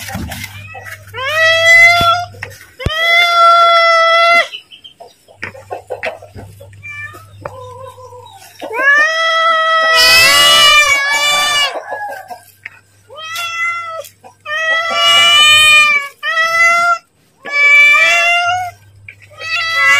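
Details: Hungry pet cat calling for its food while the owner prepares to feed it, repeated meows of varying length broken by a burst of noisy handling sounds and a faint background hum.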